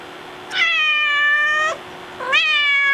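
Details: Pet cat at a door, left alone indoors, calling to be let back outside: two long, loud, harmonic-rich meows, the first steady for over a second, the second rising sharply at its start.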